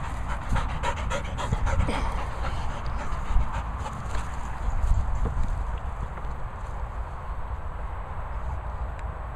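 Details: Two Labrador Retrievers playing in sunshine and a paddling pool. Quick, rhythmic, breathy panting is clearest in the first few seconds, over a steady low rumble and splashy background noise.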